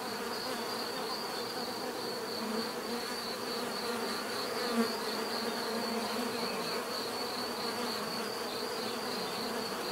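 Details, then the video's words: Bees humming in a steady, even buzz with low droning layers and a persistent high tone, one brief louder bump midway. "bees therapy relaxing natural buzzing sound"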